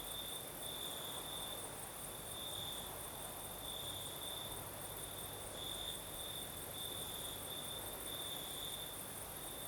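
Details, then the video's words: Crickets at night in the south of Crimea, night breeze blowing: a sustained high-pitched ringing trill with gentle waves of loudness, accompanied by a fainter higher trill and constant wind noise. "Сверчки поют"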